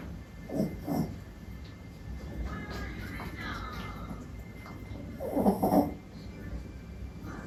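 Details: Sleeping male Pomeranian and Yorkshire Terrier mix named Mili, cream-coated, born 2021 in Japan, snoring loudly: low rasping snorts in short bursts, one pair early and a longer louder burst later, over faint background hum.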